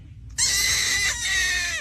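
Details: Kitten meowing: one loud, high, drawn-out harmonic cry that starts abruptly and holds steady for about a second and a half, with a slight waver midway and a faint drop at the end.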